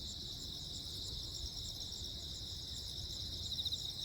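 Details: Crickets chirping on Jeju Island, South Korea, 15 August 2024, amid a lightning storm; several layered high, rapidly pulsed trills hold steady, with a low background rumble beneath.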